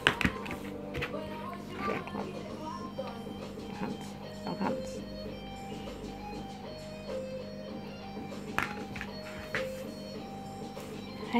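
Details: Plucked guitar music plays throughout with occasional taps and a faint voice, and no animal sound stands out.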